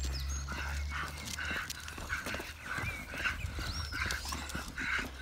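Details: Staffordshire Bull Terriers out on a walk; short, rough vocal bursts repeat about once a second over a low outdoor rumble, with thin, sliding bird whistles high above.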